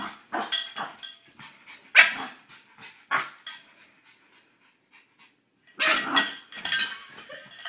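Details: A French Bulldog gives bursts of sharp, excited barks and yips, then a brief pause, going wild at a cow bell being brought out.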